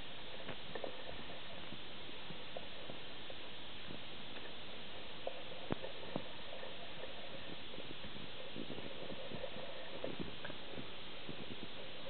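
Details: A collie-husky cross dog growls in low, rumbling bursts with a few odd grunting noises mixed in during his afternoon "funny five minutes" burst of play.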